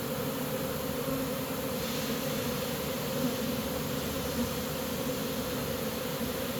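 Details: Honey bee swarm being caught, the bees marching into a new home they have accepted; a steady, dense droning hum of many bees throughout, with a bright band near the low-mid range and a slight hiss overhead, no other clear sounds.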